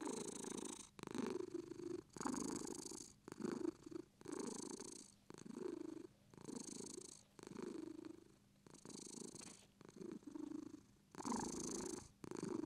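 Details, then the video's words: British Shorthair cat purring steadily, a rough rhythmic rumble rising and falling with each breath, about one breath cycle per second, alternating louder and softer phases in a quiet setting. "British shorts purr"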